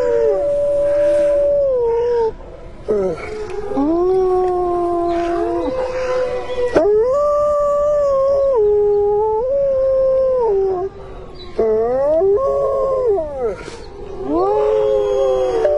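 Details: Wolves howl in a snowstorm, several voices at once: drawn-out howls that rise, waver and fall, separated by brief pauses, stacking into a mournful chorus above steady wind noise.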